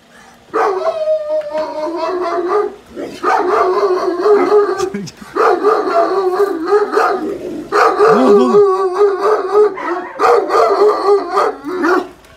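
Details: Cane Corso barking as someone approaches, after it picks up a sound and a scent: loud, fast, nearly continuous barks with howling tones in long bursts, briefly broken by pauses, with a person calling the dog nearby.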